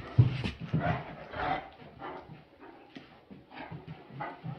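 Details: Great Danes playing together inside a small room, giving short low woofs and whimpers in irregular bursts, loudest near the start, with people talking quietly nearby.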